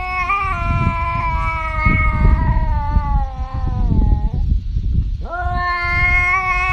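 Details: Domestic cat giving a long, drawn-out yowl that slides down in pitch, breaks off, then starts again, over steady loud low rumbling background noise.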